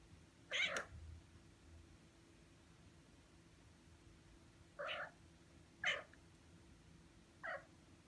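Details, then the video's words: Young Ragdoll cat, six months old, meowing while sitting in front of a screen as someone types; four short, clipped meows spaced irregularly over eight seconds, with quiet room hum between them. "[Ragdoll cat] 강아지인 줄.. 犬かいニャ~(랙돌 생후 6개월)"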